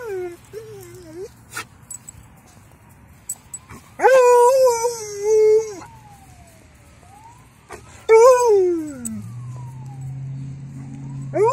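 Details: A female Alaskan Malamute, excited at seeing other dogs, howls in long, wavering notes that swell then slide downward, each a second or two, answering a passing ambulance siren that rises and falls faintly between howls.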